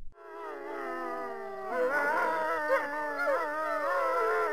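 A wolf gives a long, smooth howl that sinks slowly in pitch, then other wolves join with overlapping, wavering howls in a rising chorus.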